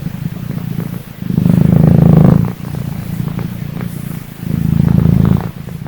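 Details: A little cat just woken up, purring loudly and close: deep, rumbling, buzzy bouts that swell and fade about every two seconds, with quieter breaths between.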